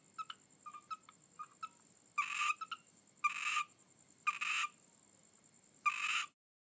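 A frog gives short clicking notes, then a series of harsh, rasping croaks about a second apart.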